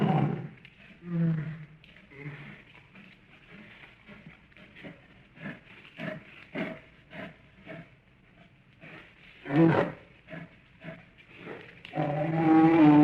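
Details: A wild bear in the wilderness growls low and huffs in short breathy bursts, ending in a loud, drawn-out roar.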